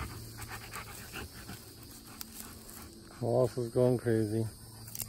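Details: Wallace, a pet Old English Sheepdog, voicing what is on his mind: four short, moaning, harmonic whine-grumbles in quick succession over about a second and a half, after a quiet stretch of faint background hum and noise.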